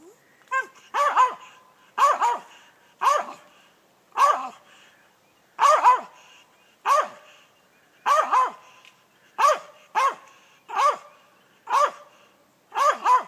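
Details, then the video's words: Squirrel dog treeing a gray squirrel in South Georgia, barking steadily: loud, hoarse chopped barks, often in doubled bursts, repeated roughly once a second with short pauses, no other sounds prominent. "treeing a South Georgia gray squirrel"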